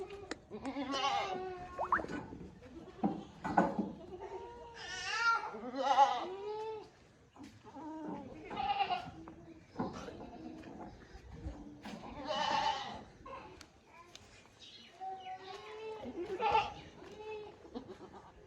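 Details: Sirohi breed goats, bucks and does, kept at a goat farm; repeated wavering, nasal bleats from several animals in turn, some rising then falling, with brief gaps between calls and faint human voices in the background.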